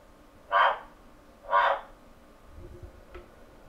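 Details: Male Phyllomedusa bicolor kept indoors in London, calling to attract a female and recorded on a computer mic: two raspy clucks one second apart, followed by faint taps and clicks.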